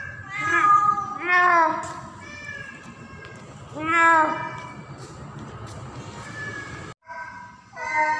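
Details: Mating-season call of a female domestic cat in heat named Pretty, summoning a male: several rising-then-falling meows, a quieter stretch, then a brief cut and a fresh yowl.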